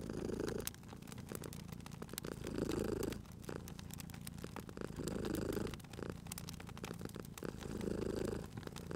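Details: Sleeping cat purring by a crackling fire; steady low throbbing purr rising into four louder swells over nine seconds, each lasting about a second, with frequent dry crackles and snaps of the fireplace throughout.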